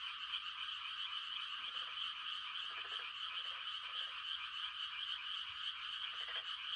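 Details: Frogs giving mating calls on a quiet country night in rice-planting season: a dense, steady high trilling chorus, with a few louder, lower pulsed croaks breaking through around the middle and end.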